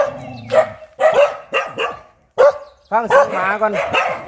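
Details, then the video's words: Fierce dog giving a low growl, then short sharp barks about half a second apart, ending in a louder cluster of ringing, yelping barks. "เสียงหมาเห่า หมาดุมาก"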